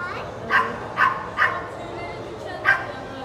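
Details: Puppies yapping sharply, with three bright yaps in quick succession followed by a fourth after a short pause, all over a soft constant room background.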